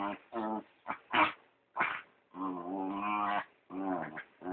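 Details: Brown dachshund/chihuahua cross The PeeWee makes his typical pig-like noises while pestering dachshund Dr. Weener at play, phone recording. Rapid grunting snorts alternate with sustained, buzzy, oink-like squeals, about one burst every half second.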